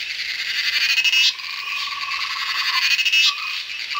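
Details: Cicadas in monsoon jungle of the Western Ghats, India, fill the air with a dense, shimmering high hum that pulses and surges, while a softer, lower rattling trill rises and fades underneath.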